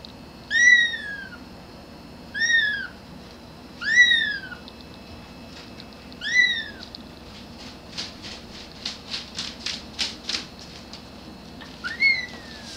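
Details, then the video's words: A grey kitten gives high, thin meows that rise and fall, calling for its mother. "Cute Kitten Meowing [HD]"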